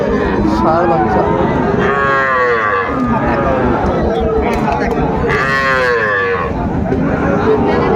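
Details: Sahiwal bull calves lowing at a Chapainawabganj cattle market, Bangladesh, 19 September 2024. Two clear, long, harmonic moos stand out, each swelling then sliding down. Market chatter and men talking run underneath.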